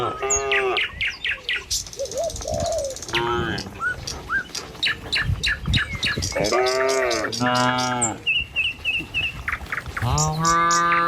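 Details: Tame cattle passing along an Indonesian village road toward the pen in the morning: scattered low moos, one short and several longer, among busy, quick bird chirps and twittering.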